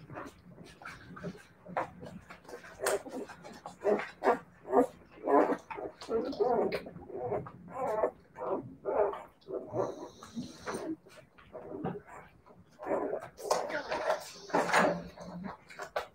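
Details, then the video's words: Several Siberian Husky puppies make a busy overlapping chorus of short yips, whimpers and squeaky barks, with many rapid bursts and some higher hissing noise in the background. "siberian husky puppies"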